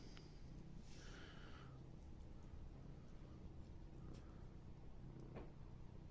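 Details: Kitten purring in a steady low rumble that pulses evenly throughout, with a brief higher squeaky sound near the start and a few soft clicks and taps scattered later.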